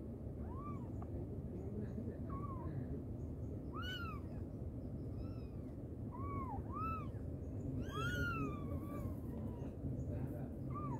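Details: Mother cat calling her kittens: a series of short arched meows around one to two kilohertz with stacked harmonics, about eight calls over eleven seconds, some clustered, over a steady low rumble of background noise.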